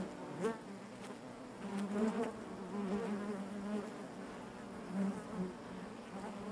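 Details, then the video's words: Bees inside their hive make a dense, steady hum on one low drone, with overtones stacked above. The loudness swells and dips gently, with a brief louder burst near the start. "bees therapy hive natural buzzing sound"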